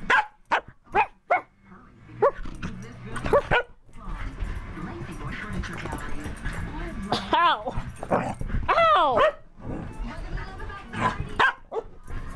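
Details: Dog just out of a bath, vocalizing wildly: short sharp yelps early on, then loud wavering, warbling howls that rise and fall several times, with a person talking throughout.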